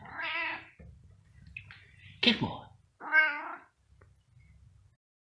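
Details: Cat meowing: two clear, harmonic meows about three seconds apart, separated by a brief sharp knock or scrape, with a low hum underneath.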